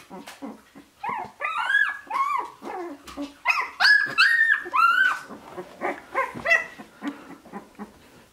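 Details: Shiba Inu puppies, sixteen days old, born 25 February 2017 and recorded 13 March 2017, give high arched whimpers and squeals in bursts of rising-falling cries with rich overtones, while a woman speaks softly in French nearby.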